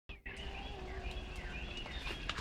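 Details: Coqui frogs, endemic to Puerto Rico, males calling in a rainy jungle at sundown: overlapping short whistled chirps, many rising, form a dense chorus over steady low rumble of rain.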